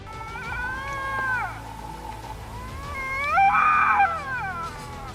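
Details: Canada lynx giving eerie drawn-out yowls, calls said to signal stress or fear, warn off an opponent or attract a mate: a wavering descending wail, a pause, then a louder rising-and-falling cry, with faint music beneath.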